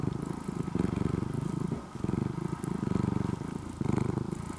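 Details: Former stray orange-and-white kitten, now tame and mostly living indoors, purring. Dense low vibrating rumble with a short dip midway, then continuing in rhythmic breathing pulses.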